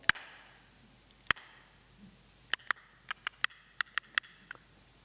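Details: Sharp, broadband sperm whale clicks, irregularly spaced, heard underwater by divers among sperm whales over a quiet background; the clicks fall within human hearing range.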